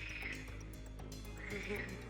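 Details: A frog chorus of rapid, overlapping croaks and chattering calls from a meadow kettle-hole pond in Wielkopolski National Park, Poland.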